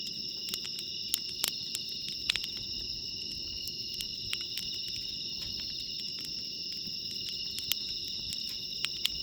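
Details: At JUTE CAMP FIELD on a 23°C night, bell crickets keep up a continuous bright, high-pitched ringing in stacked bands, while a nearby campfire snaps and crackles with frequent sharp clicks.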